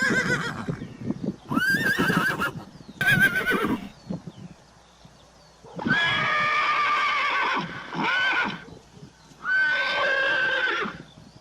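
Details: Horses from a herd, several neighs with clear harmonic, slightly wavering tones, each lasting about one to two seconds, separated by short pauses; faint hoof clatter between calls.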